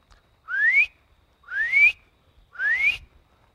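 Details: A spring peeper, a tiny frog calling on the first warm evenings of spring, gives clear, rising whistled peeps, one about every second.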